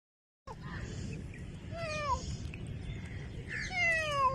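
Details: Domestic cat meowing: several descending, slightly wavering mews, some short and one drawn out, over steady low background rumble.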